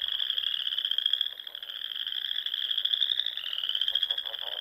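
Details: Chorus of frogs in the Nebraska Sandhills in spring, small lakes and ponds around; steady shrill trilling throughout, with a brief dip in loudness just after the first second and a slight downward slide near the end.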